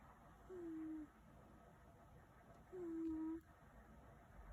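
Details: Domestic cat snoring: two quiet, steady whistled tones, each about half a second long and gently falling, about two seconds apart like slow breaths, in a quiet room with faint hiss.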